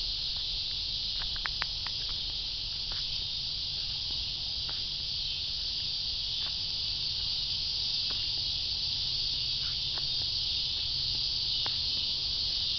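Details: Dense, sizzling cicada drone held at a constant high pitch, with scattered faint clicks and a low background hum.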